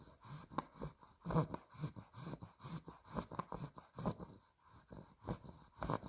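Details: Spaghetti, a two-month-old female Olde English Bulldog puppy (Exotic Blue Merle Tri), asleep indoors, snoring in rough, wheezy, snorting bursts that come roughly every half second, uneven in strength, in a small quiet room.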